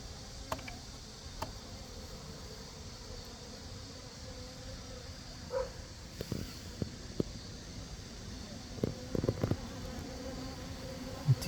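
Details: Asian honey bees at square hives near Cheomabawi during a mountain check, foragers carrying pollen in; a low steady hum with faint overtones, scattered knocks and handling clicks, and a high insect drone in the background.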